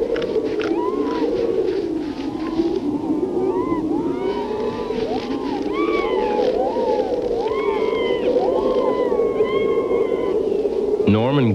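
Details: Harp seals recorded in a 1980s nature film, giving many overlapping tonal calls that sweep up and down in pitch, chirping and warbling every second or so. A steady, wavering low drone runs beneath, with a sharp burst at the end.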